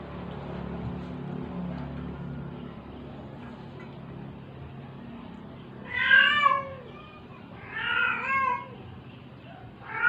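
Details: Struggling stray cat, sick and near death, meowing during force-feeding: after quiet rustling, three loud harmonic meows come in close succession, each rising then falling, with a soft murmuring voice underneath.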